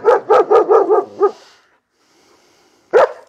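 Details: A nervous German Shepherd named Arthur, prone to barking at people and lunging at dogs, lets out a rapid run of six barks in just over a second, then silence and one more sharp bark.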